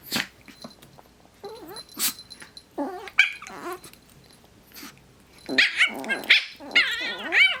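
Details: Two dogs playing together: one makes its usual high-pitched noise amid short barks and throaty growls. Squeaky yips and whines cluster toward the end, over scuffling and movement sounds.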